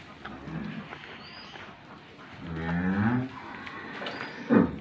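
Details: A two-tooth cow with her calf, offered for sale in Gabtoli, Bogura district, Bangladesh, gives one drawn-out low moo lasting under a second in the middle. It is followed by a brief sharper call near the end, over quiet farmyard background.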